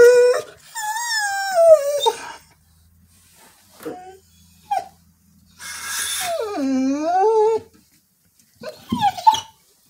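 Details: A female Border Collie howls, singing long, wavering howls that slide down and swoop back up in pitch, for unknown reasons.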